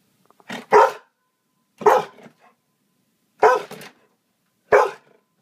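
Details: Excited pet dog barking on seeing a small dog: four sharp, loud single barks, spaced about one to one and a half seconds apart, in a quiet setting.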